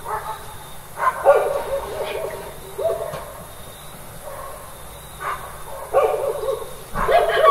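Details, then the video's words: Several village dogs barking at night, a series of short hoarse barks in irregular bursts, some overlapping, with quieter pauses between them and a steady low background hum. "Sound Effect of Dogs Making Noise by Barking during Nighttime"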